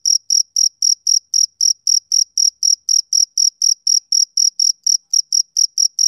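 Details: Male cricket chirping on a summer evening: short high-pitched pulses, about four per second, in a steady rhythm against a silent background. No other sounds.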